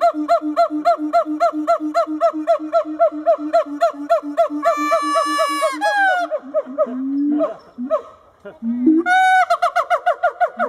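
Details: Two adult siamangs at a zoo put on a howling display for visitors: fast, regular hoots that speed up and swell into loud, rising whoops and barks.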